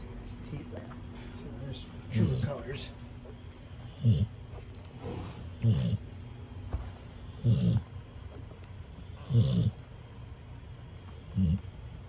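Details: Cane Corso puppy, one of a litter back from a vet visit on 9/23/24, snoring under a heat lamp: low, rough breaths about every two seconds, each a short rumbling burst, with faint background hum.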